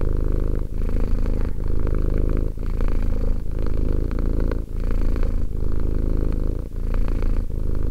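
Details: Steady low purr from a two-year-old cat, a dense vibrating rumble with short dips about once a second as the animal breathes in and out, no other sounds.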